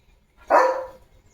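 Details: A single sharp, harmonic bark from Leo, a pet German Shepherd, while he plays with a water mug held in his mouth. The bark is clear and brief against a quiet background.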